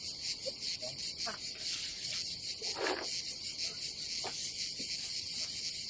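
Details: Summer cicadas at a campsite above the Adriatic Sea in Croatia fill the air with a continuous, shrill, hissing buzz that stays even throughout, with only a few soft clicks and a brief rustle in the background.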